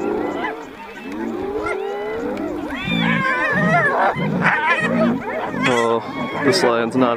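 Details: Spotted hyenas contesting food with a lion; long sweeping whoop-like calls open the clip, then low pulsed growls and a burst of high, rapid cackling giggles follow.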